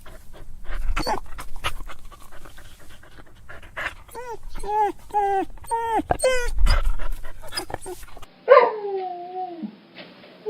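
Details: A dog crying in sorrow whimpers in a rapid series of short, bent, yelping notes amid clicks and handling noise, then ends with one longer whine that falls steadily in pitch.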